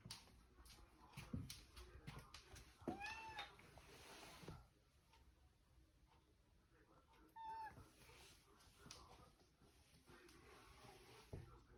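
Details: House cat wanting the fridge opened meows twice, a short rising-falling cry and, seconds later, a brief one, between thumps, rattles and handling noises indoors.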